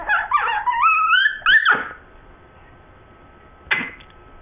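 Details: Sue Ellen and Siv, two dogs arguing over a bone in a small room: a long rising, wavering whine climbs in pitch, followed by silence and a short sharp yelp.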